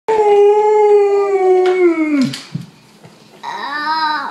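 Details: Two pet dogs howling together indoors: a long, steady, tonal howl slides slowly downward and breaks off, then after a short pause a second wavering howl rises and falls.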